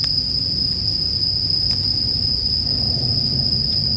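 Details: A continuous high-pitched ringing from bell crickets holds steady throughout. Occasional campfire snaps punctuate it over a muffled low background roar.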